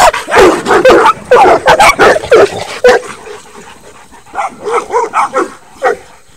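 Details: Miniature dachshund and Saint Bernards racing along a dog run fence; a burst of rapid, loud barks for three seconds, a short lull, then a second run of quicker, slightly softer barks.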